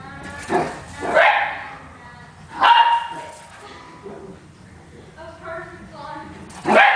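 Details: Italian Greyhound and Miniature Pinscher running and playing excitedly; sharp yapping barks near the start and at two and a half seconds, a final bark at the end, with human voices talking between them.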